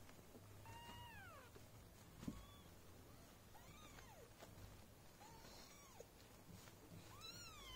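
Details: Golden British cat family, a mother with four newborn kittens being fed and cared for at Esmeraldus Cattery; about six thin, arched mews, some dipping downward, spaced a second or so apart, one soft thump midway.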